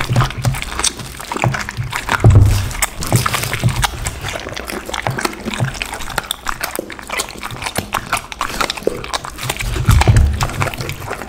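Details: Raw chicken, duck and cauliflower being eaten by a pit bull dog; moist crunching and slurping chews run continuously, with heavier low thuds near the start and end.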